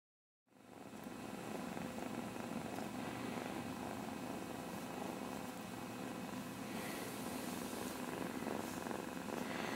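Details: Two kittens, Casey and Sassy, play-fighting with headlocks and kicks; a steady, low, rumbling purr runs unbroken through the whole stretch, with soft rustling and light scuffling on top.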